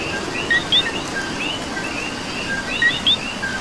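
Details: Two crisp "co-qui" calls from a coqui in Puerto Rico, each a short note sliding into a bright rising whistle, about two and a half seconds apart. A soft wash of rain and a frog chorus continue underneath.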